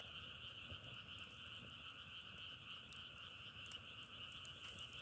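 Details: Frogs calling in a natural setting, a steady droning chorus held on two even pitches for the whole five seconds, with scattered faint crackling clicks above it.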